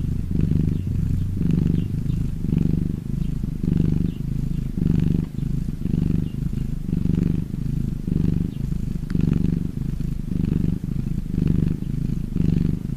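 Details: Cat. A domestic cat purrs continuously in a deep, throbbing rumble. The sound rises and falls in a slow rhythm of roughly one pulse per second as the cat breathes in and out.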